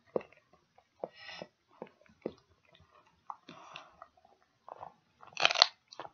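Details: Dog working on a pig ear in a small room: sharp separate bites about once a second, some wetter grinding chews, and a loud crackling crunch near the end.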